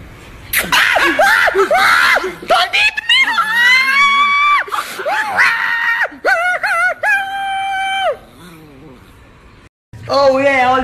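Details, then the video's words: Nikki, an angry Chihuahua, lets out shrill, drawn-out whining screams in several bursts, some wavering and some held steady, with brief pauses between them and a short silence near the end before a final outburst. "the most angry nikki chihuahua compilation"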